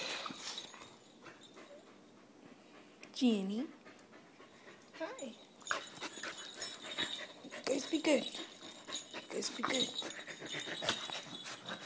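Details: Jindo and Australian Shepherd dogs, Jin and Wriggles, playing together indoors; several short high whines rise and fall in curved bursts amid panting, scuffling and a woman talking excitedly to the dogs.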